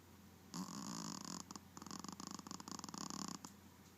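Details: A dog snoring indoors: one long, rasping, buzzy snore of about three seconds, broken into a rapid pulsed rattle, over a steady low hum.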